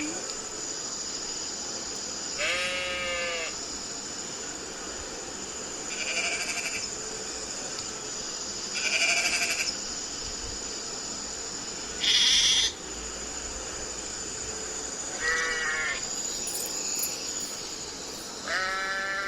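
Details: Sheep bleating: six wavering, harmonic-rich bleats, each about half a second to a second long, spaced every two to three seconds over a steady background hiss.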